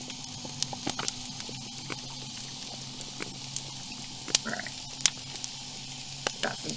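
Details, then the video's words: Underwater coastal recording: snapping shrimp crackle with sharp, irregular background pops while a ray crunches down on a mollusk as it feeds. "this is a ray the crunching sound you hear is the ray crunching down on a mollusk because it's feeding and then the popping sound in the background are snapping shrimp"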